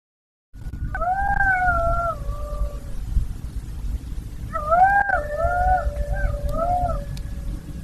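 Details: Golden jackal howling in two drawn-out, wavering phrases, each with several rising and falling tones that slide downward toward the end, over a steady low rumble of wind or background noise.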